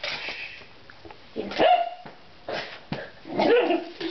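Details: A Miniature Dachshund gives sharp, high barks and yips while going after a cat sitting nearby, with a voice speaking over them.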